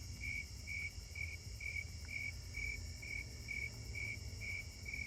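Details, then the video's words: Several snowy tree crickets calling close by near a street light and forest in a neighbourhood on a summer night, 7/25; steady pulsed chirps repeated about twice a second on a single pitch, eleven pulses, over low background hum and a faint continuous high insect drone. "And yep, it sounds like they're snowy tree crickets again."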